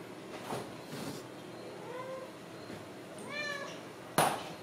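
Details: Ragdoll kittens from a home cattery in central Kansas: faint, soft mews around two seconds, then a clearer high, bowed mew near three and a half seconds, followed by a sharp knock.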